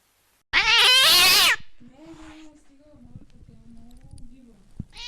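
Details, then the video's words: Cat voice used to scare rats out of the home: one loud, bright, wavering meow of about a second, followed by faint, low murmuring sounds and a soft click. "Tiếng mèo kêu đuổi chuột hiệu quả, chuột sợ bỏ chạy té khói Sound of Cats to scare the Rats"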